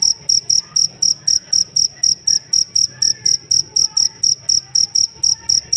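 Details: A cricket, kept as a master sound for cage songbirds, gives an unbroken run of sharp, high chirps, about four each second, very even in rhythm, with soft low background noise.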